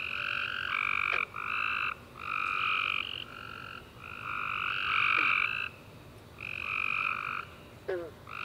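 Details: Tree frogs chirping at night following a warm summer rain, giving buzzy overlapping trills of varied length in near-continuous succession, with occasional brief downward chirps from another caller underneath.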